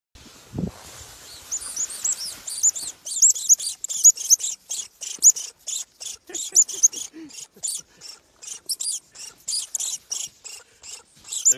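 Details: Lemming, a rodent of the sub-Arctic, defending its territory fiercely: a rapid run of very high, thin squeaks, several per second, rising to a dense stuttering burst, after a brief low thump at the start.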